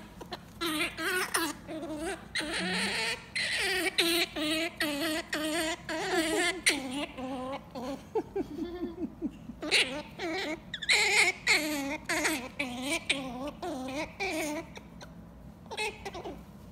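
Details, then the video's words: A grumpy squirrel gives a run of whiny, grumbling calls, each short note bending up and down in pitch. "Squirrel Tales: Squirrel vocalizations"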